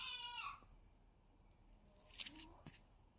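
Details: Playful fight between kitten Zerro and its brother: a short, bright meow sliding downward at the opening, followed by quiet rustling and a couple of soft thumps.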